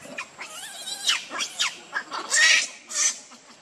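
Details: Baby monkey Leo wailing for milk from its mother: close, loud, bending squeals that sweep up and down, ending in two harsh, drawn-out screeches.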